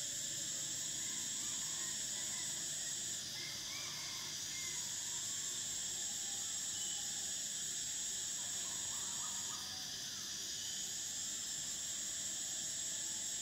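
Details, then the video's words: Cicadas drone in a loud high-pitched chorus that dips and shifts twice as voices stop and restart, with soft, brief lower chirps scattered underneath. "Cicadas: the sound of summer"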